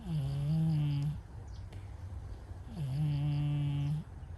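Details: Brown-and-white stray cat snoring while asleep; two drawn-out, droning snores with a rising start and a steady low buzz, separated by a quiet breath of about one and a half seconds.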